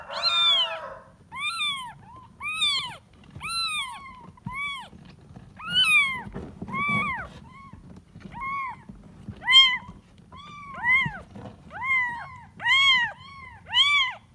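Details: Kitten meowing in search of its mother: a persistent series of high, bending mews, some opening with a wavering wail, then short rising-falling cries roughly one a second, growing quicker and louder toward the end.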